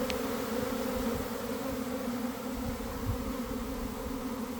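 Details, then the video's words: Inside a developing honey bee swarm from a garden hive, early afternoon, weather just right after cold and damp days; thick continuous buzzing hum from countless wings, low and steady, with faint soft knocks. "Catching a Swarm in Real Time!"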